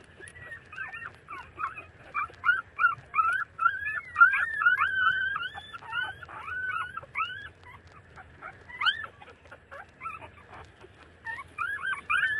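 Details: Thirty-day-old street puppies nursing from their mother, giving continuous high whining whimpers and squeaky yips, rising and falling, overlapping in quick succession with little pause.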